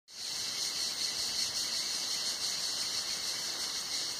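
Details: Cicadas singing in hot summer at Tenuta Zimarino, heard from shelter under a mulberry pergola: a continuous, dense, high-pitched buzzing drone holding steady throughout, with a thin sustained whistle-like tone running beneath it.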